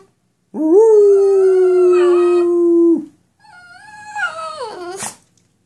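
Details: Dog answering its owner: one steady, sustained howling whine held for about two and a half seconds, then a shorter, quieter, wobbling whine that breaks upward at the end.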